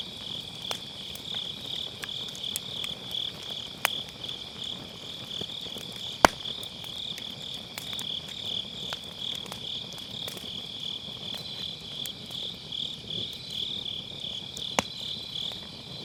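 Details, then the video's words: Grass insects calling on an autumn night next to a round fire pit bonfire, captured on an MKE600 microphone with low cut; an unbroken shrill, rapidly pulsing high chorus throughout, with scattered sharp wood crackles and pops. "가을밤 풀벌레 소리"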